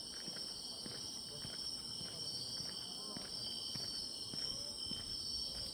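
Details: Grass insects singing in autumn along a walking path: steady, shrill, overlapping trills in several high bands, with footsteps and faint speech beneath.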